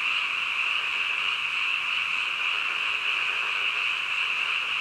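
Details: A midnight frog chorus, with many croaking voices blended into one continuous, even, high-pitched drone that holds steady from start to end.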